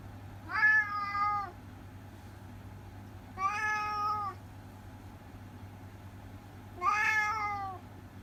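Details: Chatty orange tabby cat from Japan, indoors, utters three long, harmonic meows roughly three seconds apart, each rising slightly then held and dipping at the end, over a faint constant hum.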